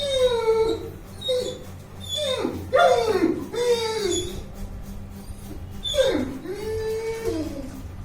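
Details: Bruno, a 21-month-old Saint Bernard, making noise while playing indoors: a run of high, drawn-out whines that fall in pitch, broken by short sharp yelps, with a steady low hum behind.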